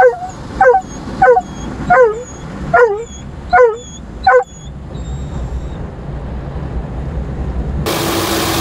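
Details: A Dobermann named Roman barks loudly during his first ride through an automatic car wash. Six rough barks come roughly every 0.7 seconds, then the barking stops and the roar of the washing machinery continues, with a burst of spraying hiss.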